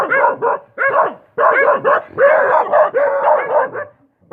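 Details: Rapid dog barks tumbling into one another, forming nearly continuous rough bursts over a few seconds before stopping.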